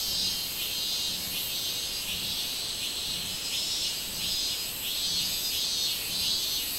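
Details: Robust cicada (Hyalessa maculaticollis) recorded 24 July 2016 sings a loud, high, buzzing song that swells and fades in a steady pulsing rhythm.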